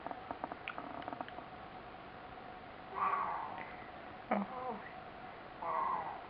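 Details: A Tonkinese cat, playing and talking, gives drawn-out, nasal meows between soft clicks and rustles.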